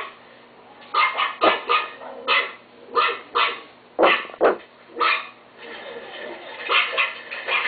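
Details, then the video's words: Chihuahua kept as a pet gives sharp, high-pitched yapping barks, singly and in quick pairs, spaced roughly half a second to a second apart, with a quieter stretch near the end. "My chihuahua Timo bark"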